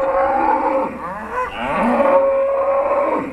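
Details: Trained Charolais cows filmed in 2017, mooing as their owner calls them: loud, sustained harmonic lowing with a wavering pitch across the clip, joined by a second overlapping moo midway.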